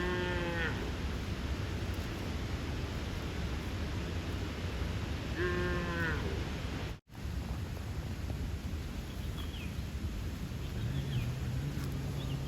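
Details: A young bull calf calls for its mother with an odd, funny voice, drawing the cows towards him. Two short, harmonic moos several seconds apart, then fainter distant calls later, over continuous low rumbling noise with a brief dropout.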